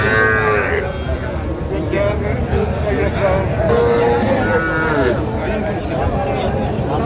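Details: Cattle at a livestock market in Faridpur, Bangladesh, where a farmer buys small bull and heifer calves: drawn-out harmonic moos rise and fall over a loud crowd of chattering people and traders haggling.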